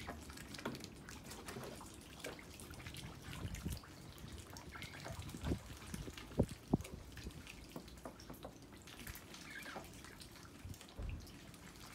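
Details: Dripping and trickling water with scattered soft knocks and low rumble, and no clear animal voice.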